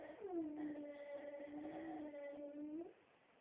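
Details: Pet female Beagle named Vicky gives one sustained howl lasting nearly three seconds, rising at the start, holding a steady mournful tone with clear overtones, then dipping and fading, indoors with no other sounds.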